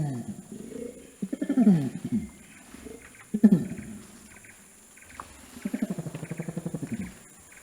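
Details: Orangutan voice carrying across the jungle: a few loud, falling, groaning calls, then a pause and a softer, rapid pulsing run of low sounds.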